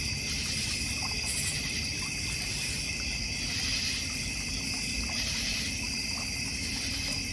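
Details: North Georgia Mountains backyard crickets trill continuously in high, even bands, with one brief sharper chirp early on, against a low constant rumble and trickling water from a goldfish and koi pond.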